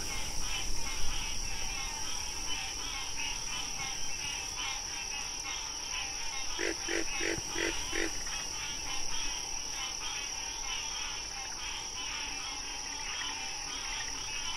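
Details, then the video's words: Wild frog calling during National Frog Month, a quick run of four or five loud, harsh pulsed croaks about half a second apart midway through, over a dense background chorus of softer rhythmic calls and a constant high-pitched hum. "Frog Sounds"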